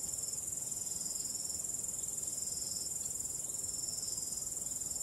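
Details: ['Starry-night crickets producing an even, high-pitched stream of quick regular pulses, steady throughout, with gentle low background hiss.']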